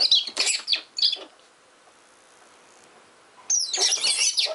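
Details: Richardson's ground squirrels quarrelling as they dig give short clusters of piercing, sliding squeaks, then fall quiet for about two seconds before another busy burst of high chatter.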